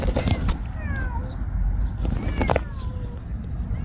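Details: Stray cats Nana and Gosik, having come out a long way to greet someone, give several short falling meows in quick succession, with a person's voice and footsteps close by outdoors.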